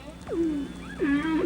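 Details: Male humpback whale (Megaptera novaeangliae) song, part of a breeding ritual, with tonal moans sliding steeply down, holding a low note, then rising; a quartet of whales each sing the same song.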